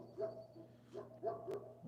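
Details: A neighbour's dog, a female, barks a few times from some distance, each bark short and muffled, probably hearing a person talking nearby in the morning; a low electrical hum runs underneath, with a single sharp click near the end.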